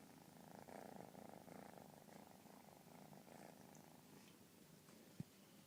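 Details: Kitten purring indoors, a soft steady pulsing rumble that swells for a few seconds and then continues more quietly, ending with a single sharp click.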